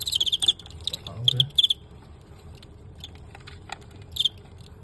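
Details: Fighting cricket in a bout against a star cricket of the Guangxi cricket-fighting scene, won narrowly, filmed live: three bursts of high, rapid pulsed chirps, short trains repeated with pauses, a man talking quietly underneath.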